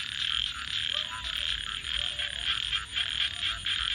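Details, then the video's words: At night by a crackling campfire, frogs keep up a busy pulsing chorus of fast trilled croaks that swell and fade unevenly, with a few lower chirps beneath and a soft background rumble. "Virtual Campfire with Crackling Fire 🔥 and frogs 🐸 Sounds continue"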